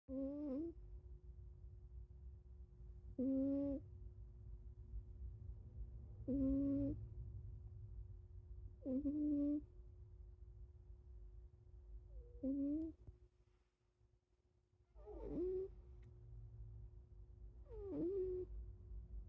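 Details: A sleeping cat snoring: nasal, buzzy snores with a wavering tone, repeated roughly every three seconds, six or seven in all, over a low steady background hum.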